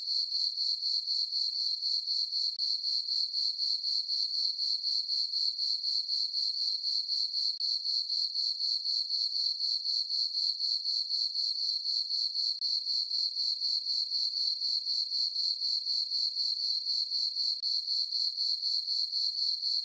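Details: Summer-night crickets in a moonlit farm meadow give a constant high-pitched chirping, regular pulses roughly four each second over a sustained shrill tone; nothing else is audible.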